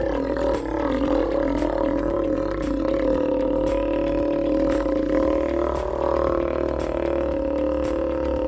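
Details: A Steller sea lion at an aquarium gives a long, deep, droning roar at a steady low pitch, a call used to communicate, defend territory and identify pups; males and females roar equally loud and deep.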